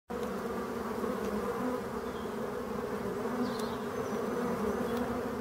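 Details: Black honey bees in Brittany, France, shown against a yellow background, humming in a steady, dense drone with low layered tones that stays unbroken for the whole stretch.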